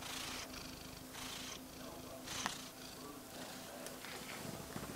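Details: Domestic cat purring, a close, low hum broken by soft breathy surges and a sharp click midway, with faint handling rustle.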